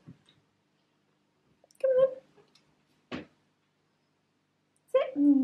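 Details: Pet cat named Mouse, a female, meowing indoors in the morning to ask for breakfast: two drawn-out, harmonic meows, the second sliding downward, with a sharp click between them in a quiet room.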